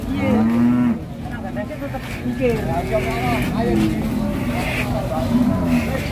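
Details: Agitated female cow, described as raging like a matador's bull, gives one hoarse low moo early on, then quieter murmuring sounds and stall noise.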